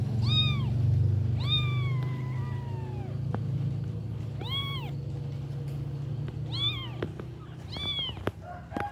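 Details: Week-old kitten meowing: five loud, arched, bright cries, some stretched long with a slowly falling tail, spaced roughly one to two seconds apart, over a constant low background drone and a few clicking taps.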